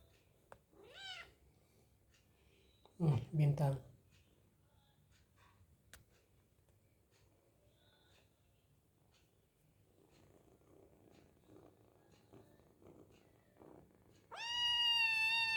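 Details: Hungry kitten meowing while eating: a brief rising-falling meow near the start, a burst of talking in Indonesian, a long quiet stretch, then a loud, drawn-out harmonic meow at the end.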